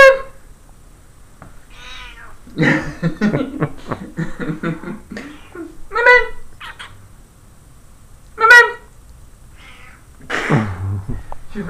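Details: Moonbeam the cat, in bed in June 2013 and described as not very friendly, lets out two short tonal meows among a person's talking and bedding rustles.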